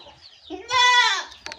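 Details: Javanese goat bleating: one wavering, nasal bleat rising then falling, rich in harmonics and lasting about half a second, preceded by a softer call and followed by faint clicks.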